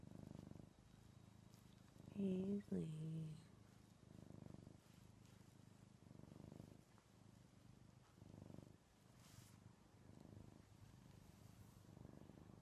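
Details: Paisley, a male house cat, purrs during cuddles indoors: a low continuous rumble pulsing with each breath roughly every two seconds, interrupted near the start by a brief higher, wavering vocal sound.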